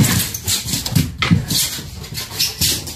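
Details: Tonka, an Alaskan Malamute, reacting indoors to a mannequin head he had never seen before: low, rough grumbling pulses repeating several times a second, with broadband rustling and a person speaking just before and after.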